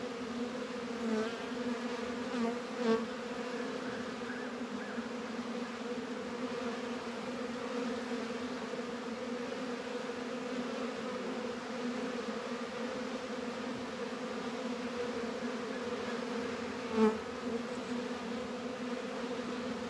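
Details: Honey bees at work in a northern Kentucky apiary on a mild 72°F winter day in February: a long, steady two-toned drone throughout, broken by a few soft knocks near the start and a louder tap around seventeen seconds.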